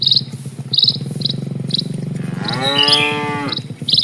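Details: Cattle herd crossing a rural village road: a low, pulsing grumble gives way to a drawn-out rising moo lasting about a second, with sharp high chirps sounding at intervals throughout.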